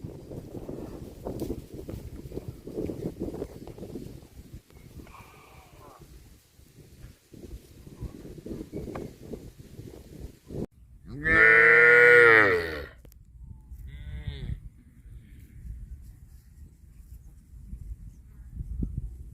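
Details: Cattle eating grass: after a stretch of rustling and munching, one loud, drawn-out harmonic moo of about one and a half seconds, then a shorter, fainter second call, with low rumbling background noise.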